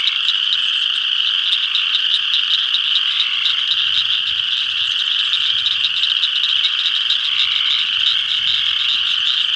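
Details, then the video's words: Spring peepers massed at a pond in northeast Kansas, full spring chorus of loud, piercing peeps, individual notes pulsing rapidly over a constant high ringing wash. "Spring Peepers"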